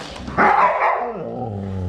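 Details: A malamute vocalising in reaction to a prank with a self-moving bag; one short rough bark-like burst followed by a lower drawn-out moaning tone.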